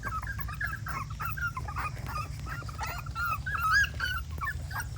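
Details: Dog making a dense stream of short, high whimpering and squeaky yips, overlapping and continuous, over a steady low background hum.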